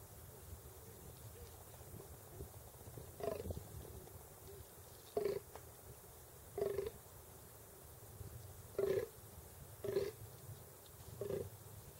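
A fallow deer gives short, deep, grunting calls, repeated every one to two seconds.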